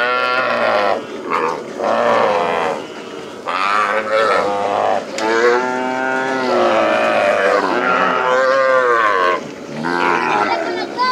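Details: Calves let loose after branding on a plains cattle ranch call out almost continuously, with several overlapping, wavering moos and bawls at varying pitch and only brief gaps.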